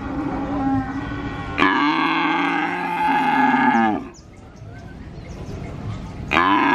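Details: Calf at a cattle market in Purwokerto, Indonesia, mooing nonstop; a loud, strained moo of about two seconds, a quieter gap with market noise, then another moo begins.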